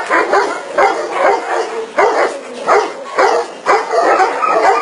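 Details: Tibetan Mastiff giving loud, rough barks in short bursts roughly every half to one second, each bark broad and throaty, with brief quieter gaps between groups.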